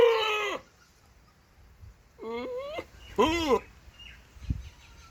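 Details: Goat (Capra hircus), bleat.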